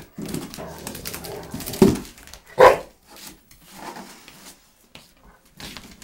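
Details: A Rottweiler attacking a cardboard box gives a low, rumbling growl, broken by two sharp, loud bursts.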